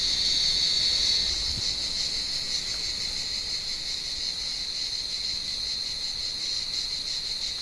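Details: Olive tree cicadas on a warm evening, hunted by climbing blind cats; a loud, sharp, high buzz at the start eases into a steadier, slightly pulsing drone for the rest.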